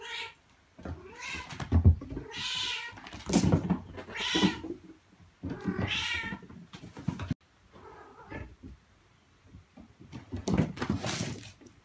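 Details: Mother cat Mii-chan calling her kittens indoors, urging them to stay by her side and follow her outside, which she thinks is safer. A run of loud, harmonic meows, some rising and drawn out, with soft thumps and knocks between them.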